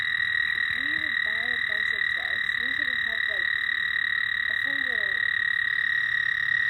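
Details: At night, frogs give short, low, arched croaking notes in quick groups over a steady high-pitched insect drone.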